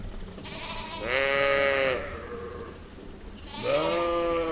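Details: Sheep and lamb in a meadow, two bleats: a long wavering bleat near one second lasting about a second, then a second rising, quavering bleat near four seconds, over faint background hiss.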